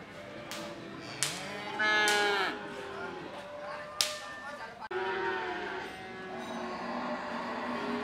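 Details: Cattle at a cattle market in Ambarketawang, Gamping, Yogyakarta, Indonesia: several drawn-out harmonic moos overlapping, with sharp knocks and clatter, crowd murmur and background music.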